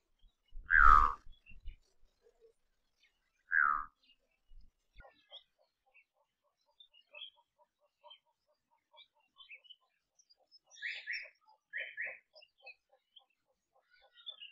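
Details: Kirk's dik-dik, wild in Samburu's semi-desert in Kenya, utters two sharp, descending whistled calls about three seconds apart, the first louder; faint bird chirps and small clicks follow in the background.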